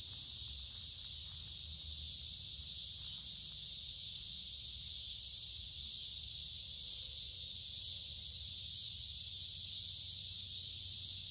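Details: A dense chorus of singing cicadas fills summer woods beside a creek on a warm, humid day. The shrill, continuous drone holds steady and grows slightly louder toward the end, over a soft low background hum.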